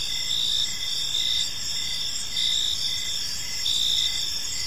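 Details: Evening park crickets in chorus: layered high-pitched ringing trills run continuously while a softer chirp pulses at a quick, fairly even beat beneath them; no other animals or voices stand out.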